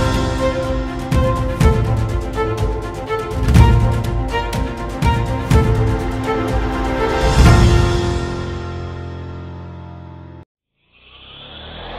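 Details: Loud rhythmic theme music with heavy bass beats and a swelling build, cutting off near the end before a brief tonal sting.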